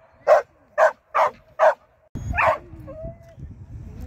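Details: Four crisp barks from a Shetland Sheepdog in AKC training on 24 April 2023, then a final bark over a person speaking and background noise.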